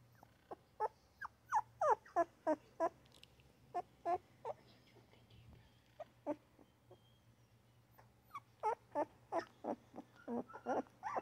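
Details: Two newborn puppies making basic mini grunts: soft, short squeaky notes in quick irregular clusters, a pause in the middle, then another busy run of tiny grunts.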